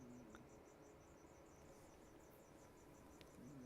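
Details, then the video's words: Crickets chirping in the background of an indoor live stream: a steady, faint, high-pitched pulsed trill repeating evenly throughout, with low room hum and a brief whistle-like tone near the start and end. "Can you also hear the crickets? I bet you can hear the crickets."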